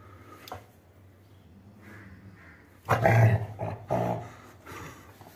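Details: Labrador Retriever growling indoors while guarding its toy against being taken; a low, rough rumble swells after a quiet stretch, then eases off in a second shorter burst, over steady low background hum.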